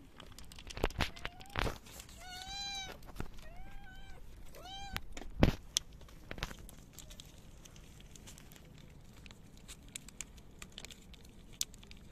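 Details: Male stray cat found hungry outside a local store, meowing as food is offered: three short tonal meows in quick succession early on, then mostly quiet street background with scattered knocks and rustling.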